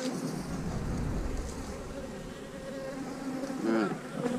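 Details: Honey bees buzzing as hives are split on split day: a dense, even drone with faint steady tones over a broad background rush, and a short spoken burst near the end.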